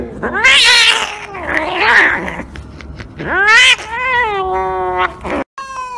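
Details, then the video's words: Domestic cat yowling while getting an injection: loud drawn-out wails that rise then sag, a break, then a strained rising howl held wavering, followed by a brief cut and a short electronic tone. "Funny Compilation Cat Injection"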